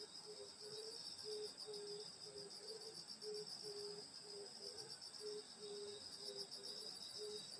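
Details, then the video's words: Grass insects singing on a summer night in the countryside at a grandmother's house: steady high shrill bands of several insects overlap continuously, while short low tonal notes come in irregular bursts beneath. "여름소리 풀벌레소리 시골밤소리"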